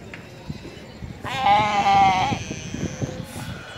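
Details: Galapagos sea lion in the Galapagos Islands, Ecuador, giving one drawn-out, bleating, harmonic call of about a second, steady in pitch, with a brief exclamation from a person just before and soft background noise.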